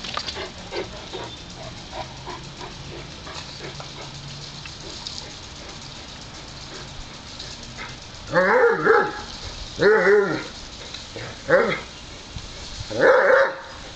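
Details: Dog barking outdoors on a hot day while a Great Dane and a Wheaten Terrier take turns playing at a water sprinkler; after a quieter stretch of faint background noise, four loud, deep, harmonic barks come in the final six seconds, spaced roughly a second apart.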